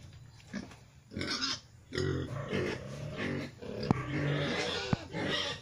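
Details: Future breeding sow, a young female crossed from Pietrain, Landrace and Large White, uttering a run of low rasping grunts and snorts with short pauses, plus a couple of sharp clicks.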